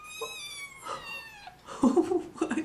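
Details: Three-week-old kitten calling for attention: one long meow, about a second and a half, falling steadily in pitch, then a person murmuring close by.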